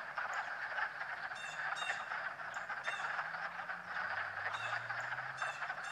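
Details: Frogs croaking and swimming on a fine March day: a dense, steady chorus of low rattling croaks forms a constant hum, with brief high chirps and clicks scattered through it.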